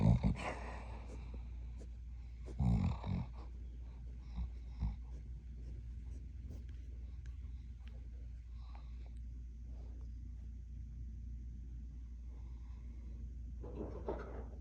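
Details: Smooth Collie named Yukon making sleep sounds: short, muffled huffing barks near the start and end, with soft snoring and breathing rumbling between them in a small room.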